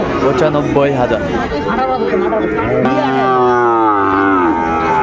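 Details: At a cattle market where Sahiwal bull calves are traded, 20 January 2025, men bargain loudly before a sustained, strongly harmonic moo swells in and holds steady for about two seconds amid chatter.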